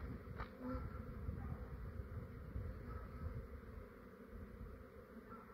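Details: Fair-sized, quiet honey bee swarm in a residential yard in Australia, awaiting capture into a hive box: a steady low droning hum with faint short bird whistles above.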